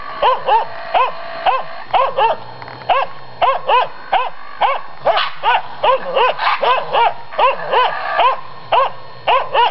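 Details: Finnish Spitz confronting a raccoon dog, frantic barking with quick doubled and clustered barks, a dense run of arched, ringing yaps and a steady low hum beneath.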